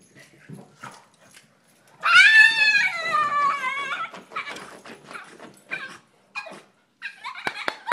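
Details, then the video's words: Female Boston Terrier protesting indoors while her owner plays with the other Boston, wanting her own turn: a loud, long, wavering whine-howl that slides downward over two seconds, then broken yips and short whimpers, sounding almost like talking. "dog says "its my turn"- talking dog"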